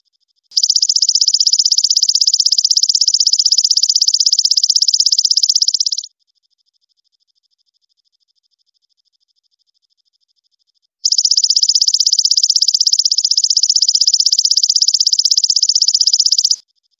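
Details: A golden grasshopper gives long, high, crystal-clear buzzing trills of rapid pulses, separated by silence.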